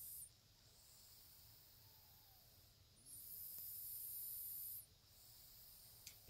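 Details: A sleeping pet of unstated species makes a whistling sound through its nose: a steady, very high, thin whistle held for nearly two seconds mid-recording, then fading, against faint indoor hiss.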